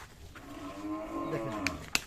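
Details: Thin, bony cows offered as a package for fattening in Biral upazila, Dinajpur district, on 5 July 2024. One long, drawn-out moo with rich stacked harmonics holds steady for about two seconds. Sharp clicks or knocks sound near the end.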